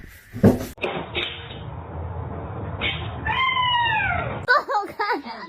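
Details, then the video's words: Kitten meowing and crying indoors: a drawn-out, rising-then-falling meow near the middle, followed by a quick run of short, wavering cries at the end, with a human voice and room noise in the background. "kitten meowing crying"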